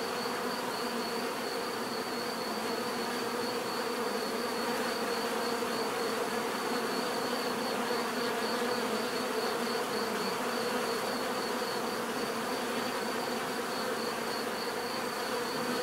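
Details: Long, unbroken natural buzzing of numerous bees, a smooth low drone holding the same level from start to finish, accompanied by a faint, slightly pulsing high whine.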